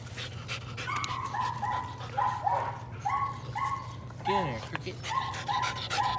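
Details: Patterdale Terrier puppies working rats in their puppy pen one evening, including a little black female, Cricket, younger than her litter mates; short high whining yips repeat in quick bursts, with one falling whine, over a steady low hum.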